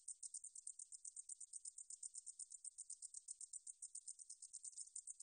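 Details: Rapid, thin, metallic buzzing of the meadow katydid 등줄어리쌕쌔기 from 2020 National Institute of Biological Resources audio. Crisp high pulses tick steadily, roughly six per second, with nothing else audible.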